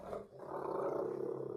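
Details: Rottweiler playing in the morning, giving a low, rough, steady growl that rumbles on for about a second and a half without a break.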